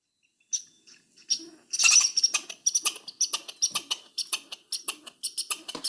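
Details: Red squirrel territorial chatter played back during a Mass Audubon look at chipmunks and squirrels: dry, rasping broadband bursts in quick irregular runs, several per second, rising to a dense loud cluster before settling into evenly spaced pulses.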